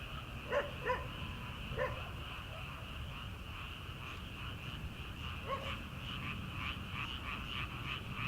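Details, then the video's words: Frogs calling from rice paddies at night in early summer, before rice planting. A dense, pulsing high chorus runs throughout, and a few distant farm dog barks break through near the start. "초 여름 개구리 울음소리/ 논에서 들리는 개구리 소리"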